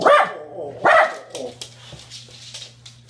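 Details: A pet dog giving two loud sharp barks a second apart, then softer muffled huffs, with a steady low hum and faint indoor noise behind.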